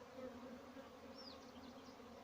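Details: A bee farm in Pakistan: honey bees give a constant low buzzing hum, with a brief high, sweeping bird chirp in the middle.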